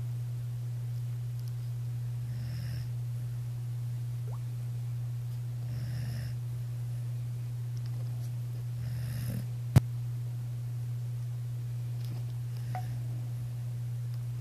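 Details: Daisy, a pet dog, snoring while asleep beside someone's ear at night. Soft, rasping breaths come roughly every three seconds over a steady low electrical hum, with one sharp click near the end.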